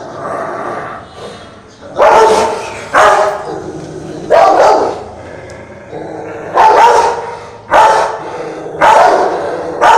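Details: A French Mastiff (Dogue de Bordeaux) gives deep, harsh growling barks in bursts every second or two, behaving aggressively toward a Rottweiler.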